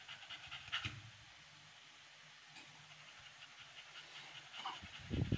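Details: Amber, an American Bully female on the 56th day of her first pregnancy, pants during labour: soft, breathy, rapid huffs, fairly faint, with a louder thump near the end.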